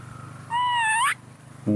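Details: Young female baby monkey throwing a tantrum when hugged: one sustained clear squeal, steady then rising sharply at the end, over a low background hum.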